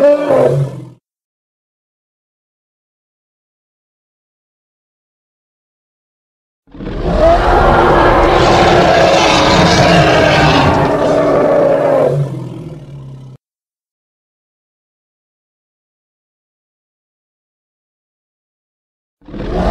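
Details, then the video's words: Hippopotamus from the Congo producing a long, rough, pulsing roar of about six seconds, deep and noisy throughout, with brief call fragments at the very start and end. "Hippo (Congo) Sounds"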